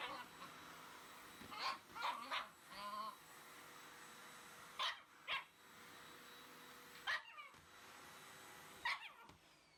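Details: Shiba Inu attacking a vacuum cleaner as it runs: a few high, whining yelps early on, then sharp short yips and bursts spaced a couple of seconds apart, over a constant mechanical hum.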